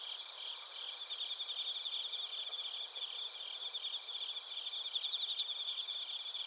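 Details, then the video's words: Layered cricket and bell cricket song from Narita in Chiba Prefecture, Japan, recorded on a TASCAM Portacapture X8. Thin, piercing trills hold steady while a throbbing, fast-pulsed chirping rises and falls in waves. "スズムシとコオロギの鳴き声 - Chirping of crickets"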